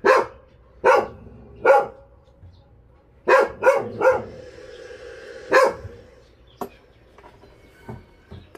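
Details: Abandoned dogs from Ulsan's Narae-ul Center in South Korea, during a volunteer transport run: sharp single and paired barks with gaps of about a second, then quieter clicks and knocks in a still space.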